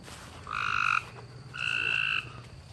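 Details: A frog calling at night out in a backyard, a creature that sings in darkness and falls silent once a light comes on; two buzzy, steady-pitched trills, each lasting about half a second, separated by a short pause, over a faint low hum.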